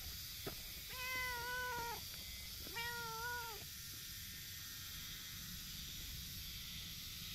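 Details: Tortoiseshell stray cat resting with a shoe as a pillow, giving two drawn-out meows, each about a second long, held level in pitch and dipping slightly at the end, over a steady outdoor hiss.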